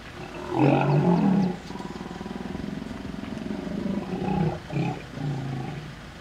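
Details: Hippopotamus female in defence mode guarding her young against another approaching hippo in the Vurhami River, Kruger National Park, South Africa. A deep, loud rumbling bellow for over a second, then sustained pulsing low grunts with short honking bursts. Faint vehicle hum.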